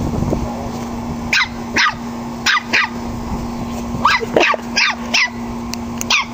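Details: A 9-week-old puppy named Gizmo playing with a pug, giving short sharp barks and yips in uneven bursts, about a dozen over six seconds, some in quick pairs, over a steady background hum.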